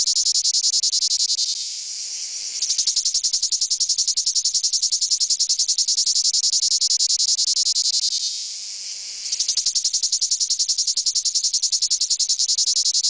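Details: Male cicadas drone in a loud, high, pulsing courtship buzz that dips briefly twice before resuming.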